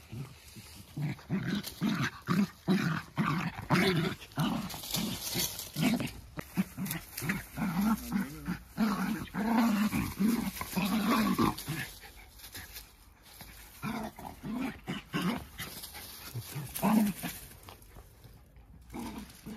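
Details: Two Jack Russell Terriers, close friends wrestling for fun in a play fight where no one gets hurt, trade rough, pulsing growls in rapid bursts for about twelve seconds, then quieter scuffling with a few human words.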